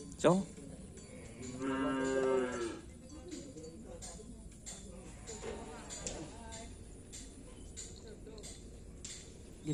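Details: Cattle at a karapan sapi bull race training session on a field in Asemanis: a short low moo with a clear harmonic stack at about two seconds, among a brief knock at the start, faint voices and background noise.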